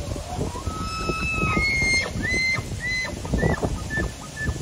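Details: Elk (Cervus canadensis) bull bugles during the rut, the breeding season, with a high whistled tone followed by shorter repeated whistles.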